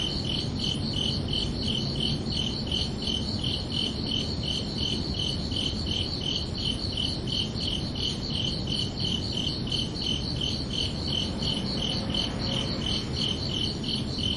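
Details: Summer-evening crickets at night producing an unbroken series of quick, bright, evenly repeated chirps, accompanied by constant low background rumble.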